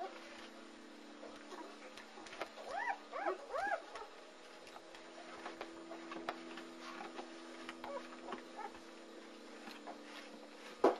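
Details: Newborn German Shepherd puppies, a litter of three males born February 18, 2009 to Anarchy and sired by Core at Vom Barron's Pride kennel, give a short burst of arched, rising-then-falling whines around the middle, over a steady low hum and faint clicks.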